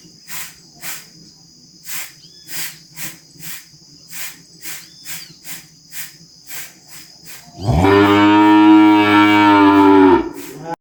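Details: Calf bellowing and mooing on a farm: a single loud, drawn-out harmonic bawl of about two and a half seconds near the end, preceded by steady rhythmic insect chirring repeated roughly every half second.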